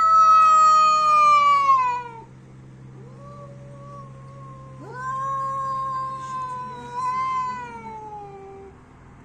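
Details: Cats in an angry fight trade drawn-out yowls: a loud falling wail opens, then a softer pair of overlapping howls, one swooping upward, the voices wavering and sliding down as they fade.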